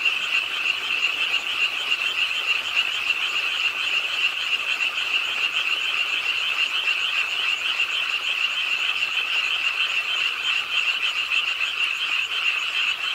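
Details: Chorus of frogs at a park pond in Ingye Art Park, Suwon, South Korea, on a rainy late night, starting to croak as rain fell: steady, thick layered trilling with many callers overlapping throughout.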